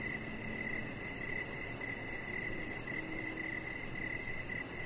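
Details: Crickets heard from a deck in the evening, giving rapid high-pitched chirps in a near-continuous pulsing stream against low, even ambient rumble.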